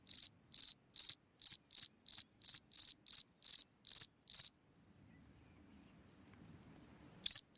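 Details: Singing cricket in a hole in the ground at night: steady high pulsed chirps about every third of a second for four seconds, then a pause of nearly three seconds of silence before two more chirps.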